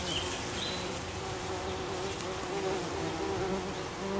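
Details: Buff-tailed bumblebees at their nest, where young queens rest on the lid and workers keep honey pots, give a steady, low droning buzz that swells and fades as they fly, around early July.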